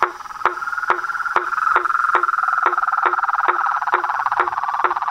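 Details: Symphony of toads, frogs and tree frogs: a continuous buzzy pulsed trill under regular percussive clicks, roughly two per second, steady throughout.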